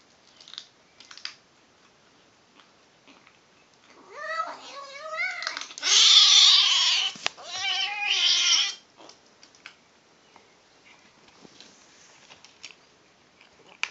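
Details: Female kitten vocalising while eating, a run of about four seconds of wavering, strained meow-like cries, loudest and harsh in the middle, among faint clicking chewing sounds before and after.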